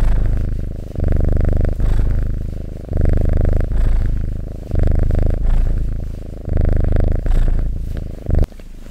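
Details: Strong, close-miked cat purr, low buzzing rumble swelling in breath cycles of about two seconds, ending with a short rustle.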